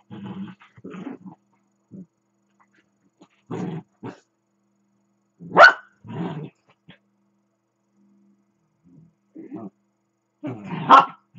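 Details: Playful growling from two dachshunds at play, one circling the other: low rumbling grumbles come in short bursts, broken by two sharp high barks, with quiet gaps between.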